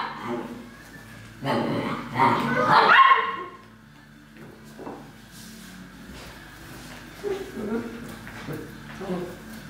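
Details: An Alaskan Malamute, recorded on 30 November 2013, gives a few loud, yowling barks, with people talking in the background.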